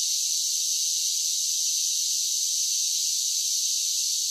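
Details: Cicadas singing in summer, a steady, unbroken high-pitched buzzing drone that holds the same level throughout, with no other sounds.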